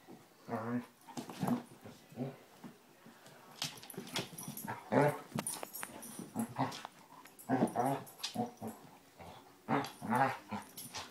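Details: Basset Hounds Tracker and the puppy Ranger rough housing: a steady stream of short growls, grumbles and snorts, repeated roughly every half second to second, with scuffling noises between them.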